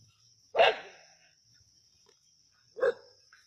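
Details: Two clipped, forceful barks about two seconds apart as native dogs go after a snake at Keeladi; a thin continuous high-pitched hum runs underneath.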